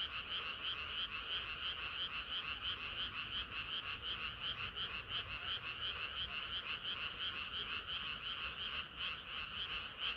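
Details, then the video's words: Hot summer night with a chorus of singing frogs: loud, even croaks repeated close to three times a second, layered voices forming a continuous buzzing mass. "개구리들의 합창은 끝이 없어라"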